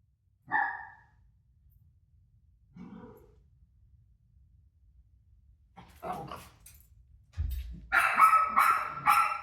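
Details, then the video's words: Pet dog Rosie reacting to her own barking on TV: a lone soft bark and a faint low yelp at first, some scuffling, then a run of four loud, rapid barks near the end. "Crazy Rosie Barking At Her Barking Self On TV"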